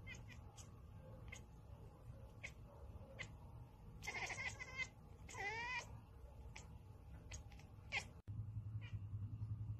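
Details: House cat uttering two short, wavering meows midway, the second sliding up and down, amid clicks, knocks and a low hum.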